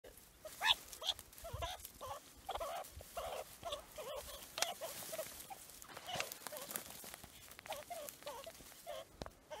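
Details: Meerkats give harsh, rapid chattering and squeaky yelps in a fight between rival groups.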